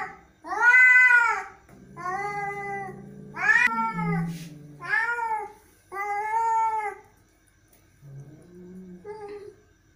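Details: Irritated cat in a small room letting out strained, wailing meows of varying length, broken by deep throaty growls; the calls fade to softer, shorter growl-meows at the end.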